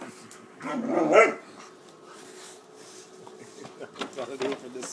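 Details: A 13-week-old Great Dane puppy named Wallace, agitated while attacking a paper bag indoors, gives a single short muffled bark, followed by paper crackling and faint tapping.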